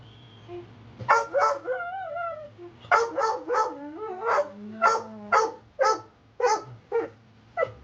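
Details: An upset pit bull mix, possibly a boxer mix and a rescue dog, barking at its owner during play. After a few whines it gives a run of loud sharp barks, roughly two per second, over a low steady hum.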